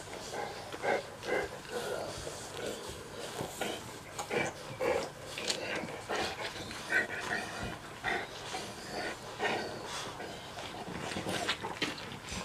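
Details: Litter of Mastiff puppies, 6.5 weeks old, making frequent short grunting, snorting and squeaky whining sounds that overlap in quick irregular bursts throughout, with faint human voices in the background.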